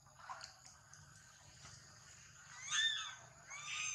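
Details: Crying from a baby monkey being attacked in a fight: after soft scattered sounds, two loud, high, drawn-out wails with clear harmonics arrive in quick succession near the end, against steady background hiss.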